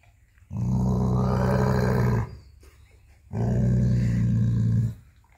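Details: Dog guarding his bone while its owner tries to take it. Two sustained low, throaty growls, the first about 1.7 seconds and the second about 1.5 seconds, with a brief silence between them.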